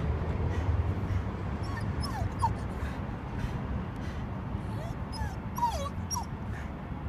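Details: Shiba Inu named Spec on a walk at Ebisu Bridge in Amagasaki, recorded 20 May 2015; a few thin, high, gliding whines near two seconds, then a short cluster of rising and falling whimpers later, over steady low outdoor rumble.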